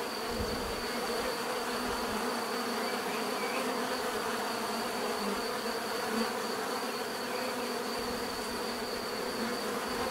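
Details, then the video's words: Steady swarm-like drone of bees, dense and even throughout, low hum layered under a faint constant high tone. "bees therapy relaxing natural buzzing sound"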